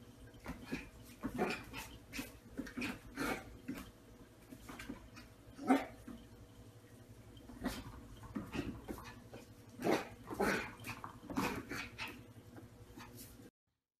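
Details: Several Toy Poodles barking together with full force, dogs that love to walk; short sharp barks burst out at irregular intervals, about a dozen over thirteen seconds, above a low steady background hum.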